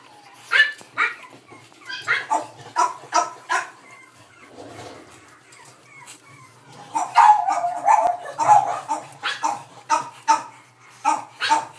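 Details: A Boston Terrier puppy born on 3 May, sound asleep, lets out soft, high whimpering squeaks in two runs of short repeated notes, with a quiet pause between them.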